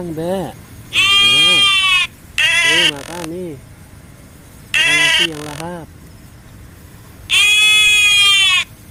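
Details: Goat at feeding time bleating four times: loud, harmonic, slightly wavering cries of about half a second to a second each, spaced a few seconds apart. A person urges it to eat in Indonesian between the calls.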